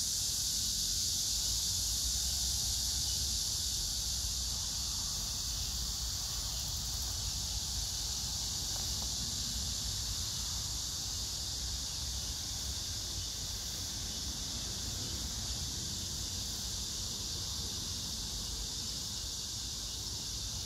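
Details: Summer cicada and grass-insect chorus in Hwarang Park, Choji-dong, Danwon-gu, Gyeonggi-do, on 9 August 2024 with crape myrtle flowering: a dense, steady high-pitched sizzle, unvarying throughout, over faint low rumble.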